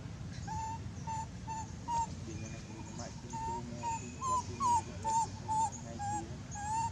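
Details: Abandoned monkey crying very loud: short, high, clear whimpering cries, each slightly rising then falling, repeated about twice a second with little pause, over low background rumble and faint voices.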